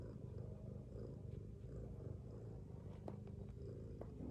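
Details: Mother domestic cat sleeping with her kittens, snoring: a steady low rumble of fine rapid pulses without a break, with a few faint clicks near the end.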